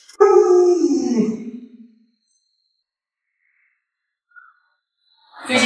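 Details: Lolo, a household Alaskan Malamute, lets out a loud, rich howl lasting under two seconds, strong at the start and slipping lower as it fades, followed by silence and then a burst of noise.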